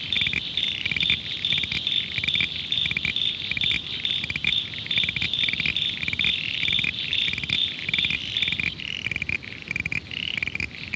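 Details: A chorus of common froglets (Crinia signifera) near Adelaide fresh water gives high, insect-like creaking calls, some single creaks, others rapid repeated series; hundreds may be calling.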